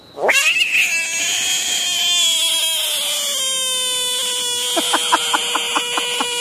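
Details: Caught frog bursting into a sudden rising shriek that settles into a long, steady, slowly falling scream, ending in a quick series of rhythmic pulses.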